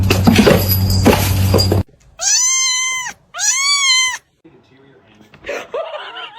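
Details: Domestic cat from a funny pet compilation giving two drawn-out meows, each about a second long and arched in pitch, following a loud burst of voices and noise, then a fainter third call.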